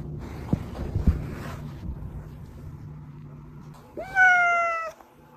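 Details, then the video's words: Pet cat's cry, used to coax hiding cats out: after several seconds of low room noise and a couple of knocks, one clear, level, drawn-out meow lasting about a second. "고양이 부를때 들려주면 쪼르르 /고양이들 유인할때/고양이 울음소리"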